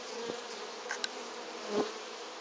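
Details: Honey bees from hive number 3 bringing in pollen in August; a steady colony hum with two individual bees buzzing close past, the second louder, plus a brief click.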